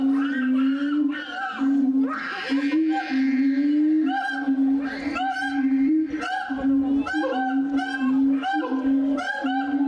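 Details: Siamang at Tennoji Zoo, Osaka, Japan, recorded 2 May 2022, giving loud repeated booming hoots with a steady low tone and rapid higher barking notes bursting in roughly every second.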